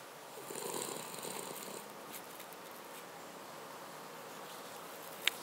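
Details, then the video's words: Cavalier King Charles Spaniel named Paca snoring: a raspy, pulsing breath noise lasting just over a second with broad hiss, then quiet room tone and a single sharp click near the end. "Cavalier King Charles Spaniel - Snore"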